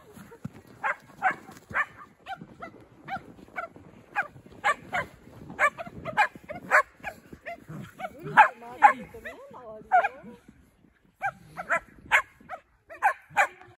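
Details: Shetland Sheepdog at Angel Forest barking steadily, short sharp barks repeated roughly every half second to second, with a human voice briefly in the middle and a short pause before the barking resumes.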